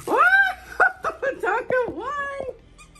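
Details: Siberian Husky Monroe, indoors during a tug-of-war play fight with another dog, gives a quick run of arching, harmonic woo-like yowls, rising then falling, about six in two and a half seconds, then quiet.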